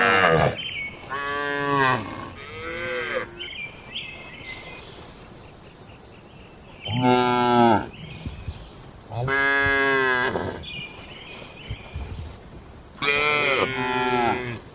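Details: Cattle lowing at night in a traditional rural shed, four loud, long moos with strong harmonics, roughly every three to four seconds, some ending in a falling groan; quieter calls between.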